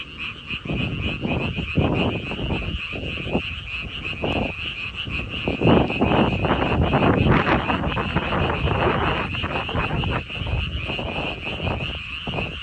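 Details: Frogs croaking in a dense chorus of short, rough croaks repeated rapidly and irregularly, over a steady high-pitched hiss.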